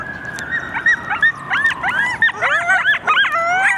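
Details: Group of coyotes howling and yipping in response to sirens; a long siren tone slides downward beneath overlapping wavering howls and sharp rising-falling yips that grow denser toward the end.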